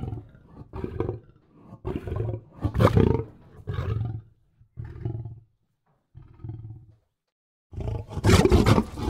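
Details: Lion giving deep, rumbling roar-grunts in uneven bursts, with a pause of over a second before a louder, harsher final burst.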